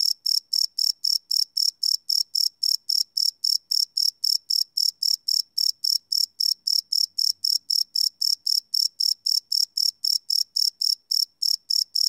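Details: Live night recording of crickets made on a Sony PCM D100: a steady stream of piercing, high chirps pulsing at a quick, even rhythm, with a clean, otherwise silent background.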